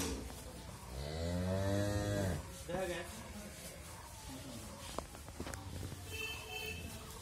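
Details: Friesian dairy cow in Bangladesh, pregnant with her second calf and family-raised, lets out one deep, drawn-out moo lasting over a second, followed by soft knocks, rustling and a brief human exclamation.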